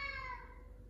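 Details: Talkative male F2 Savannah cat answering its owner at home with a short, tonal meow that falls steadily in pitch and fades out within a second.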